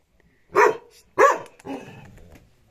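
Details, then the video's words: Dog reacting to its reflection in a mirror, giving two sharp barks in quick succession followed by a softer, rougher trailing vocalization. "the dog vs mirror الكلب و المرآة"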